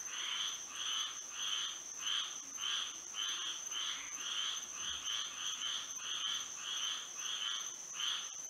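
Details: Frogs singing on a moonlit night in Florida: a rhythmic chorus of harsh, croaking pulses, about fourteen bursts in under nine seconds, set against a steady high-pitched insect whine that runs throughout.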